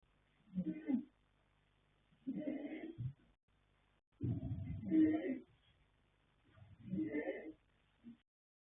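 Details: Sleeping colt foal Yanta, sired by Fast Force from the mare Pink Blossom and born 21 January 2026, snores in four uneven, raspy breaths. One longer, deeper snore rumbles in the middle, and short silent gaps fall between breaths.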